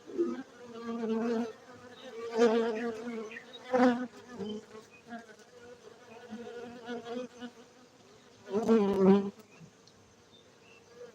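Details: Honey bees kept for honey at a Gayo apiary, Bener Meriah, Aceh, Indonesia; a continuous low buzzing drone punctuated by loud fly-by surges, strongest near the end.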